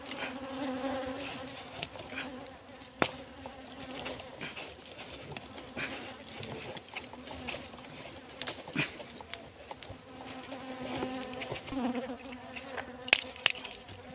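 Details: Bees buzzing while beeswax is taken from a nest behind a cassava field on a farm: a low, steady droning hum with stacked overtones, broken by frequent sharp clicks, taps and rustling from handling.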